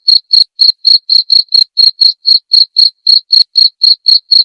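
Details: Jangkrik (cricket) master sound for tutoring white-rumped shama: shrill, evenly spaced chirps repeating around four per second, clear against total silence.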